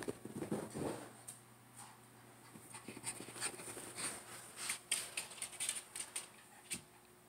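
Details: Shih Tzu dog named Rocky during indoor playtime, breathing in quick, rhythmic, breathy pants, roughly four bursts a second after a louder scuffle at the start, over a steady low electrical hum.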